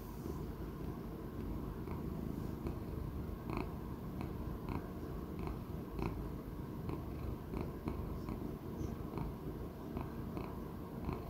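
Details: Elderly male Persian Chinchilla cat, about sixteen years old, purring steadily at home; deep, rough, unbroken rumble with light ticking clicks recurring roughly every half second.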